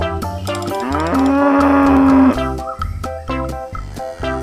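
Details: Cow giving one long, steady, low moo lasting over a second, set against loud plucked-guitar music that continues before and after.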